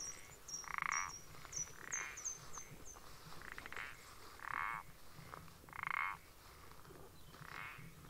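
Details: Common parsley frog recorded 14 April 2020, giving five loud, rasping, creaking notes spaced roughly every second and a half, while a string of faint, high, thin chirps runs through the first few seconds.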